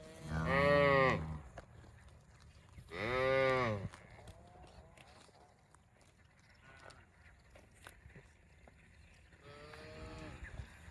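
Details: Cow lowing: two loud, drawn-out harmonic moos about two seconds apart, each arching slightly in pitch, then after a long quiet gap a fainter, higher-pitched moo near the end; faint background noise throughout.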